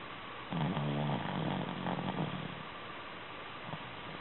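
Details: Shih Tzu in deep sleep, snoring: a low, rhythmic rasping snore pulsing rapidly for about two seconds, then fading into a steady background hiss.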